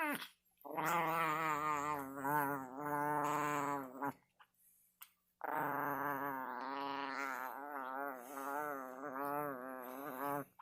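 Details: A Chihuahua produces drawn-out, quavering moaning tones in two long bursts separated by a short gap of quiet, with the pitch wobbling up and down in an eerie, otherworldly way.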